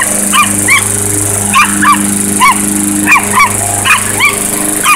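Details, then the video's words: Chihuahua confronting a lawnmower, yapping in quick high-pitched barks, usually in pairs, roughly every second, each bark rising then falling, against the constant loud drone of the mower engine. "Lawnmower vs Chihuahua"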